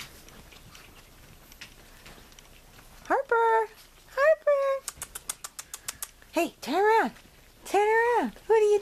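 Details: Blue merle and blue long coat Chihuahua puppies, Cherie and Vinny: after a quiet start, a series of short high squealing yelps that rise and fall in pitch, with a quick run of sharp clicks between them.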